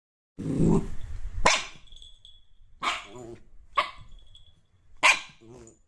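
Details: Dog barking: a low rumbling growl, then four sharp, loud barks spaced about a second apart, each a broad burst with short tonal tails, in an otherwise quiet room.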